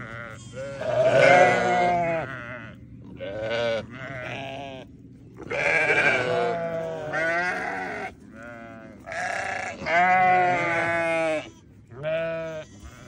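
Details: Newborn lambs bleating in a series of wavering, harmonic-rich cries of about a second each, several overlapping, with short pauses between bursts and a low steady hum beneath.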